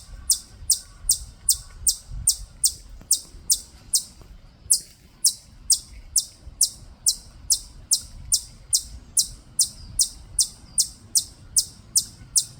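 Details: Chipmunk of the native Korean kind at Bulguksa, Gyeongju, repeating bright, piercing chip notes evenly about two and a half per second over a soft low-pitched ambient murmur.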